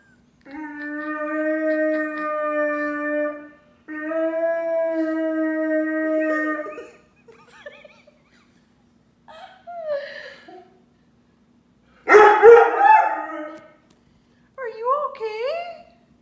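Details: Charlie, a Weimaraner, cries after his owner takes his Great Dane sister on a walk: long, steady howls, then wavering whines and a harsh yelp.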